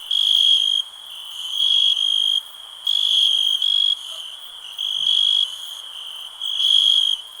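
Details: High, steady insect trill from a cricket, delivered in bursts of about half a second to a second, a faint continuous buzz linking the louder phrases, calm night-like ambience.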